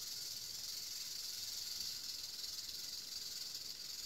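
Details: Eastern diamondback rattlesnake rattling continuously, an even, high-pitched sizzling buzz sustained for about four seconds with no pauses and nothing else clearly audible.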